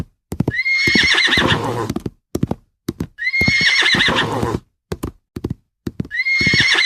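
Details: Horse on a farm whinnying three times in a row, each call a loud quavering squeal that starts high and slides downward over about a second and a half, broken by sharp hoof clip-clop clicks between calls.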